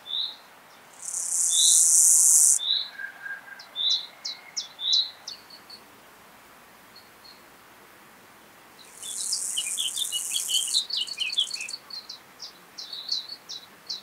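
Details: Chorthippus pullus, the gravel grasshopper, recorded at Taugl, Austria, 6 July 2019 via a Pettersson D 100 ultrasound detector; two hissing, buzzy bursts of under two seconds each, eight seconds apart, amid many short high bird chirps.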